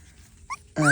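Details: A puppy from a litter said to hold three males and three females gives a loud, high, tonal whine that rises and then holds steady at the end of the second, after a brief faint squeak.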